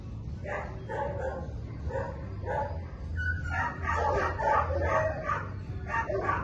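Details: Belgian Malinois during the first week of board-and-train dog training, barking in a fast, uneven series of short, sharp barks, about nine in six seconds, over a steady low hum in the background.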